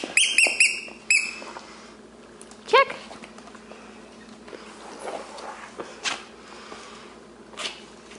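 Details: Playing Shih Tzu pups, brothers aged six weeks, open with a run of high, thin squeals, then one lower rising yelp. Scuffling follows, with occasional soft noises in a small room.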